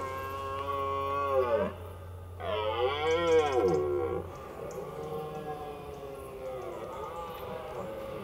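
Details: In autumn rutting season in France, at an undisturbed site with little human presence, a red deer stag gives two long, moaning rut roars that waver and arch in pitch.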